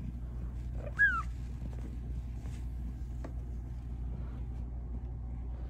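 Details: Pet cat asking for attention gives a single brief chirp-like meow that drops quickly in pitch, against a steady low indoor hum.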